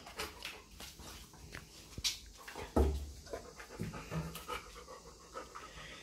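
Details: Milan, a pet dog indoors, excited at the prospect of going out for a walk after her owner brushes her teeth; rapid rhythmic panting breaths with scattered soft clicks and movement noises.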